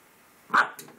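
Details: One short puppy yap at his mirror reflection, indoors, with a person's voice just after.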